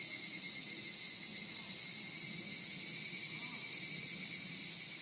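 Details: Insect chorus in a park beside the Nagareyama City Forest Library in Higashi-Fukai, Japan; an unbroken wall of high, hissing trills holds steady throughout, with a faint sustained whine lower down.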